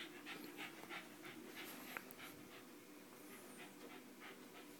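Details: Pet Westie, a West Highland White Terrier, breathing in quick, soft, hissing pants at about three per second. The rhythm is slightly uneven and there is a steady faint hum underneath.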